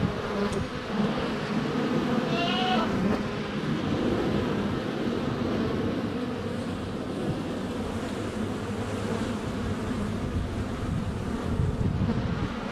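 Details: Bees in flight swarm around a hive entrance on a sunny February day, recorded on a GoPro Hero 7 Black within a foot; continuous low humming buzz, with a short bleating goat call near the three-second mark.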